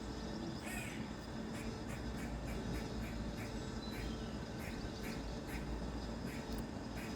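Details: A squirrel perched on top of a tree branch gives sharp, raspy chucks repeated about twice a second over a low rumble.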